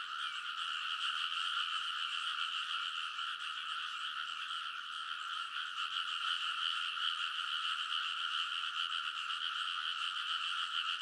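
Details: Dense frog chorus from rice paddy banks at midnight in early summer in Kōnosu, Saitama, Japan, recorded on a TASCAM Portacapture X8; countless overlapping croaks form a steady, unbroken trilling wall of sound with bands high and mid, no other sounds.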